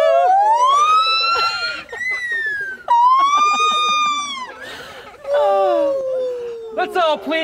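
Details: An old female gibbon at Magnetic Hill Zoo, Moncton, New Brunswick, coaxed into singing, gives her loud territorial song of siren-like whoops sweeping up and down in long, rich tones.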